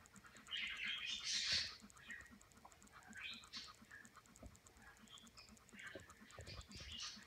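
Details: Newborn English Springer Spaniel puppies only hours old, on their first day, June 10, 2016; thin, high squeaky whimpers and squeals come in short bursts, loudest early on, over a steady low rhythmic pulsing.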